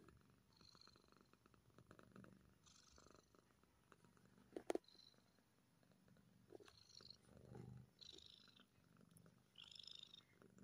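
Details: A happy kitten purrs in a faint, even drone, joined by soft rustles, a sharp knock near the middle and light breathy hisses.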